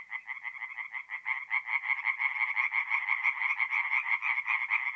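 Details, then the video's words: Night chorus of tree frogs at a forest pond, north-east Italy, mid-April; loud, rapid rattling croaks in steady rhythm from multiple frogs, closely overlapping, with no other animals or noise. "relaxing forest pond by night with singing tree frogs"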